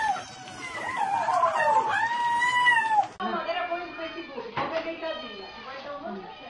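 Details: Domestic cat with a long, wavering, rising-and-falling meow lasting about two seconds, then fainter sounds mixed with human speech in a small room.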